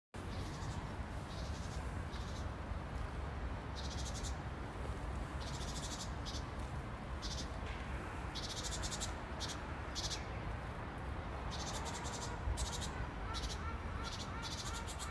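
A grasshopper gives short, dry, high buzzing bursts in a repeating series over a steady low rumble.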